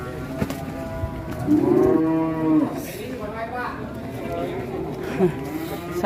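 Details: Enraged cattle, unloaded from a truck in Indonesia and breaking off a horn: one drawn-out, wavering moo mid-clip with a fainter second call after, background music and voices throughout.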